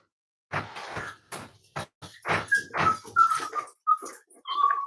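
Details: Cavalier King Charles Spaniel puppies kept at a family home give high, thin whimpers and short squeaky whines that waver and slide. Soft rustling and scuffling bursts sound between them.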